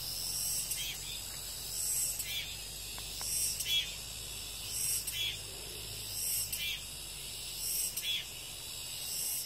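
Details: After rain, a cicada chorus fills the air with a continuous high shimmering buzz. Brief louder rasping bursts recur about every one to two seconds, with a faint low rumble underneath.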